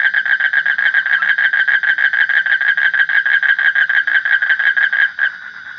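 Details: A frog gives a steady train of loud, rasping pulsed croaks, around three a second, with a rich harmonic buzz, breaking off abruptly just before the end.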